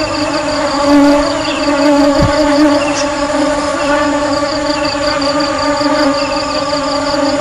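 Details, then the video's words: Honey bees giving a steady, droning hum with a strong low tone and many even overtones stacked above it. A faint pulsing texture runs high up. One brief low thump sounds near the middle. "Tiếng ong kêu"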